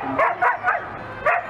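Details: Siberian Husky, a domestic pet dog, giving four short, high yipping barks spaced about a third of a second apart over a second and a half, with low background murmur.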